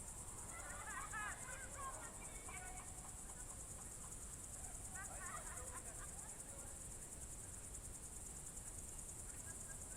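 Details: Crickets sing through a summer evening at Novye Buregi, Novgorod Oblast, in June 2023, a constant thin high pulsing trill, with bursts of faint distant voices early and midway and a low rural hum underneath.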